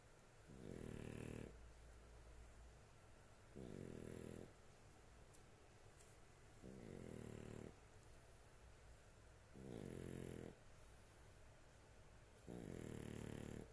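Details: Dog sound asleep indoors, snoring in a regular rhythm: five deep, vibrating rumbles roughly every three seconds, some with a high wheezy edge, quiet breathing between.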